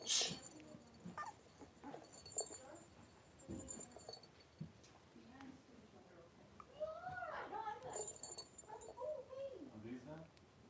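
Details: Three-week-old blenheim Cavalier King Charles Spaniel puppies, a litter of five, wrestle and play in their indoor pen; soft squeaks early on, then wavering high whimpers in the last few seconds, with a human voice in the background.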